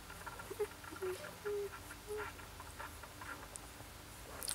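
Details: Siberian Husky puppy giving a run of short, steady, mid-pitched squeaky whines, four or five in quick succession within two seconds, then quieter, over soft scratching and patter sounds from movement indoors.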